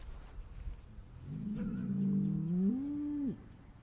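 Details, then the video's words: A single sad, upset cow moo, starting low and rough, swelling into a drawn-out drone and ending with a brief rising upturn before cutting off. Quiet background. "Mooing Cows Sad Upset SOUND Effect"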